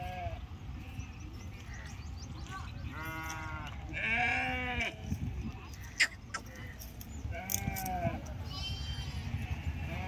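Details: Sheep at the Pebbair livestock market, giving a few wavering, nasal bleats in the middle and near the end, over a steady murmur of crowd noise and low rumble.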